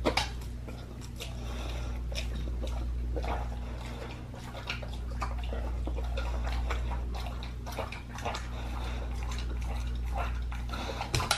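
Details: Raw-fed pit bull chewing a raw lamb leg, with rapid, uneven wet crunching and tearing sounds, several per second, over a constant low droning hum.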